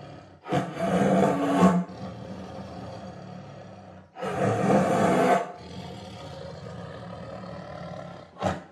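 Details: Tiger roaring in two loud, rough bursts about three seconds apart, each lasting over a second with a deep harmonic rumble, then a quieter hoarse breath and a short final grunt.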